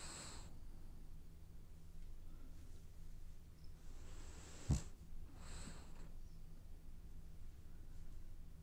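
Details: Dreaming French Bulldog asleep and snoring: quiet airy breaths at the start and again mid-clip, one with a short snort-like click, then a fainter exhale, against a constant low room hum.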